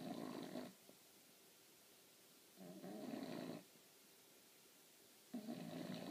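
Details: A female English Bulldog snores during a nap in long, rough, rattling breaths, each lasting about a second.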